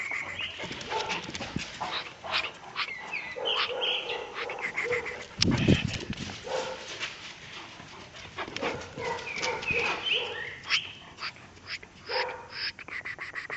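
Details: A one-year-one-month-old Caucasian Shepherd Dog in Azerbaijan gives a run of short, tonal vocalizations broken by sharper bursts.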